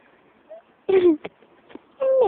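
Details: Midnight, a little black pet cat, gives two short meows: the first slides gently downward, and the second holds steady before dropping away. Faint clicks sit between them over a low background hum.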